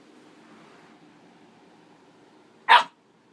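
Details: A single loud, abrupt bark from Tipsy the dog near the end, after almost three seconds of quiet room hum, then silence.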